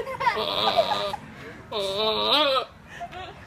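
A goat gives two long, wavering, human-sounding bleats.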